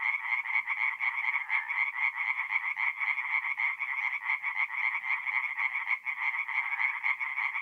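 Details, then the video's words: At a forest pond in north-east Italy on an April night, a crowd of tree frogs calls nonstop, their quick grating croaks merging into a loud unbroken pulsing chorus. "relaxing forest pond by night with singing tree frogs"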